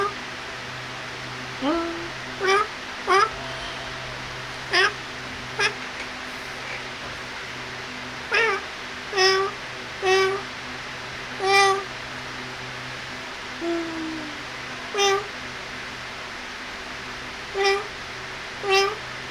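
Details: Kittens playing and feeding: a run of about a dozen short, high, harmonic mews, often rising then falling, spaced irregularly every one to two seconds over a steady low hum.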